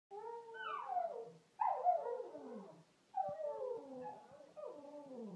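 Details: Lhasa Apso dog singing: four drawn-out, wavering howls, each about a second and a half long, sliding downward in pitch and separated by short pauses, with a rich, harmonic tone.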